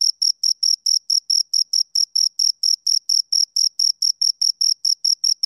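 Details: Close, loud chirping by two crickets: sharp high pulses repeated about four times per second, steady and unaccompanied.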